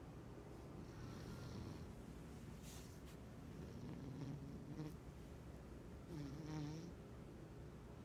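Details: Sleeping house cat dreaming by day, low snoring breaths with a few wheezy whistling exhales and short clicks, a brief voice at the end.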